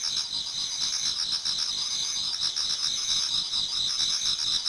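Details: Autumn insects in a Japanese garden, many singing before dawn: high, fast-pulsing chirps and trills overlapping into an even, shimmering chorus with no other sounds.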